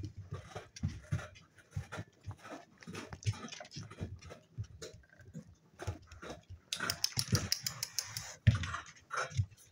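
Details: Playing spaniel pups aged seven weeks make continuous low growls and grunts with panting and scrabbling, joined late by a louder burst of brighter, hissing noise.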